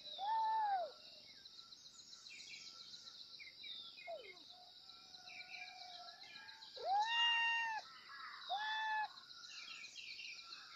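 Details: Kittens meowing loudly for their mother: three clear, drawn-out, arched meows, the first near the start and two more close together later, each rising then falling, over a steady background of dense bird chirping and twittering.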